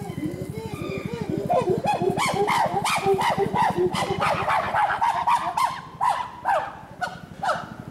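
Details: Captive chimpanzees of the family group at Tama Zoo, Japan, May 2019: series of rising, arched hoots climbing into louder, higher screams, with sharp bursts and a rapid pulsing undertone.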